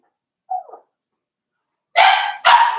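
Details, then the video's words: Cavalier King Charles Spaniel puppies, five weeks old, in an indoor pen: a brief soft squeak, then two loud, harsh, rough barks in quick succession. "Cavalier King Charles Spaniel Puppies"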